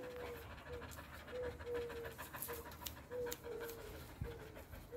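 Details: A relaxed female dog in the shade pants with steady breathy pulses. A thin, whine-like tone recurs roughly every half second through the whole clip, with no other clear sounds.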